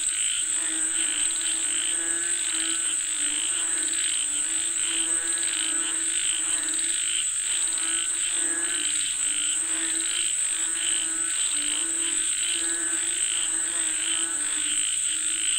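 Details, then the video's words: Frog chorus calling for rain: busy, overlapping rattling croaks repeated without pause, under a strong constant shrill insect hum. "Listen to the Sound of Frogs Calling For Rain 🌧️🐸 เสียงกบเรียกฝนตก"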